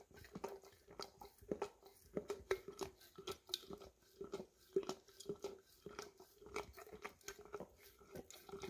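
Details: An English cream Golden Retriever laps peanut butter from an almost empty jar, making steady sticky tongue clicks and smacks roughly two or three per second, with soft gaps between bursts.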